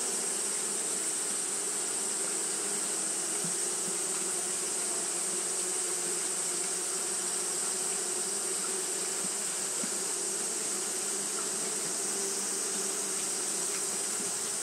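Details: On a hot day Japanese honey bees keep up their fanning, giving a continuous low hum with faint flickers of passing wingbeats and a steady bright hiss above.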